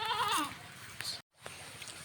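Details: A goat out grazing with its herder gives one short, wavering bleat that falls in pitch over half a second, followed by quiet outdoor background with faint rustling.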